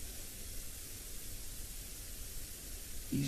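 Steady broadband hiss and low rumble with a brief thump at the end; no animal voice.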